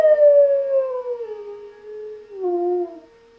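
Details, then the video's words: German Shepherd called Knuckles howling at the monthly siren test; a sustained howl glides downward for about two seconds, then a second lower howl follows, the siren's constant tone running behind. "Siren Howl"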